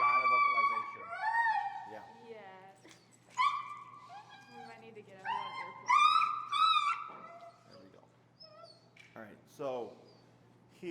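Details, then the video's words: Finnegan, an extremely vocal feral husky in a heel training session in Chicago, protests a behavior with long, wavering whines and yelping howls that rise and fall in bursts, interrupted by pauses and a trainer's voice. "Extremely Vocal Feral Husky, Disagreeing With A Behavior"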